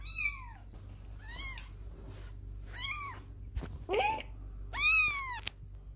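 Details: Kittens staying away from their mother for the first time, playing and stumbling, giving a run of five short high meows, some arched and rising then falling, one harsher and one louder and longer at the end, with a soft click between.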